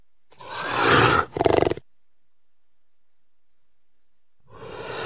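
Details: Mountain lion, or cougar, producing a loud, harsh hissing snarl that swells and breaks into a short pulsing growl, then silence, then the start of another rough rasping growl.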